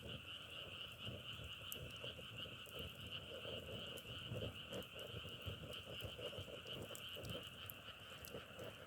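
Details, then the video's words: Many frogs call together in a dense, continuous chorus, a steady high buzzing hum with soft patter and crackling beneath it throughout. "자연의소리 장작타는소리=개구리소리"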